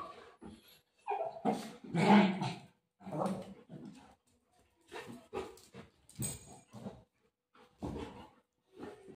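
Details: Playful scuffle between a Golden Retriever and its mother, full of continuous snarling growls and huffs in irregular bursts, a louder rasping growl early on, then shorter grumbles toward the end.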